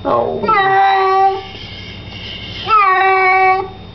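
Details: Kitty in the bath giving two long, steady, tonal meows about a second each, separated by a short pause, over faint room noise.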